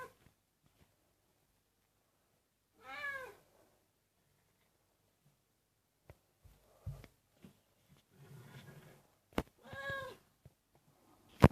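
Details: A senior cat singing and snoring indoors: two drawn-out, wavering meows, the first early and the second near the end, with scattered soft thumps and low snore-like rumbles between them.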